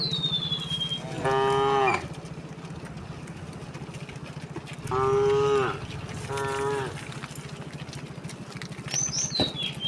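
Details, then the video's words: Tame cows and oxen, thousands walking peacefully along a village road toward their resting place under open sky; three loud harmonic moos, one long and two shorter, over a steady low rumble of movement, with a bird whistle near the end. "Thousands of cows walked very leisurely towards the resting place the sound of cow all along the way"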